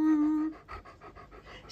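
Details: Mr. Beowulf, a pet dog visiting family and called an adorable talker, gives a short steady high whine followed by a rapid run of soft panting breaths; a woman's voice is heard nearby.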